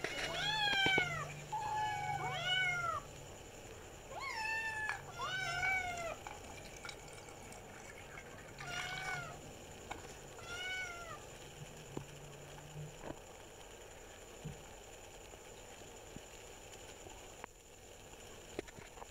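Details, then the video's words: Several kittens playing and meowing, a run of high, rising-falling mews in quick succession during the first eleven seconds, then quieter with faint clicks and low background hum. "cute kittens meowing and playing video"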